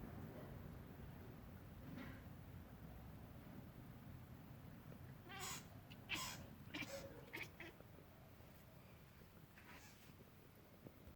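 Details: A Bengal cat chatters at birds in the morning, in quick clicking, stuttering bursts over a low background rumble.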